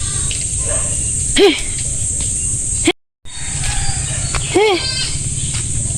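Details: Untethered goats wandering on a farm, watched because they damage plants. Two short arched, wavering bleats about three seconds apart over a steady high insect buzz and a low hum, with a brief silent gap between.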